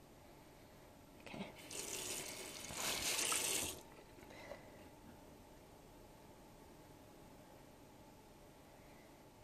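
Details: Running water gushes for a few seconds, as from a tap, then fades to a quiet, low room hiss with no animal calls.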